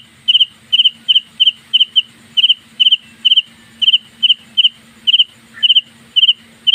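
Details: House cricket making its loud noise at night inside a home: bright, high chirps, each a quick double or triple pulse, repeated about every half second, with a faint steady low hum underneath.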